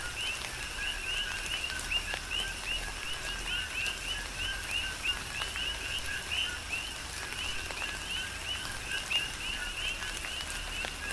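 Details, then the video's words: Coqui frogs calling during tropical rain on the Big Island of Hawaii: a steady chorus of short two-part notes, a lower tone then a rising upper chirp, overlapping from several frogs, with soft rain patter and scattered drips. "Tropical Rain & Coqui"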